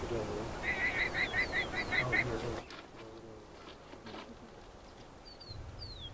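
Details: In Patagonia, a guanaco sensing a family of pumas (a mother with juveniles in training) stalking it gives a shrill, rapidly repeated bleating distress call while trying to assess the situation.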